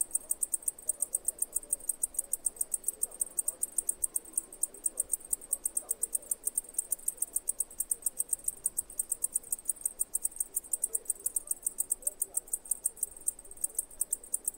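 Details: Crippled cicada recorded in Greece, a long run of rapid high ticks repeated steadily several times per second without pause, faint low background hiss.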